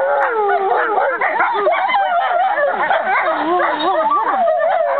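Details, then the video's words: American wolfdog siblings and half-siblings Aiyana, Juma, Akani, Shadow and Lupo singing as a group, 5.11.2011; bouncing, undulating howls and quick yips stack over one another in a lively, unbroken chorus. "American Wolfdogs Aiyana, Juma, Akani, Shadow and Lupo singing together"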